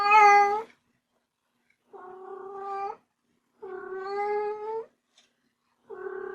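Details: A pet kitten starts with a short, loud, piercing meow, then gives three longer, steadier, softer meows separated by brief silences. The background is otherwise quiet.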